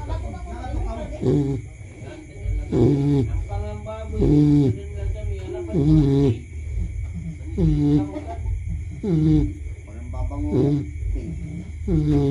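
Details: Baby pig asleep and snoring: low, rough, voiced snorts with a nasal grunting tone, repeating roughly every one and a half seconds in a steady breathing rhythm, over a constant faint high-pitched hum.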